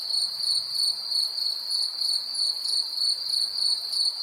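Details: Crickets heard in a 3D nature soundscape, a continuous shrill ringing trill that pulses about three times per second with a thin upper harmonic, nothing else audible.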